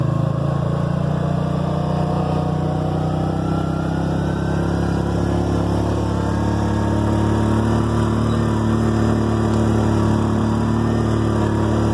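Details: A steady, loud vehicle engine drones and rumbles throughout, with a continuous low hum and no other distinct sounds.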